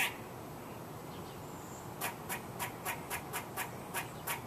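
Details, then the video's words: A squirrel making a rhythmic string of short, clicking chuck notes, about four per second, starting after a quiet pause, with light background hiss. "Squirrel Making Noise"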